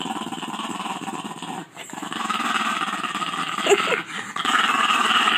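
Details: A female French Bulldog grumbles with a low, rasping growl out of annoyance, with a film on her face; French Bulldog.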